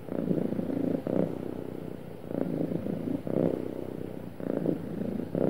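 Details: Contented house cat gives a smooth, happy purr: a low throbbing rumble rising and easing in regular pulses about once a second, each inhale and exhale phase clearly marked.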